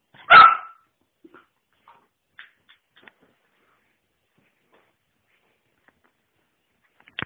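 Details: Airedale Terrier puppy named Rex Pierre gives one short, sharp bark right at the start, then falls quiet; only a few faint taps and clicks follow in an otherwise silent room.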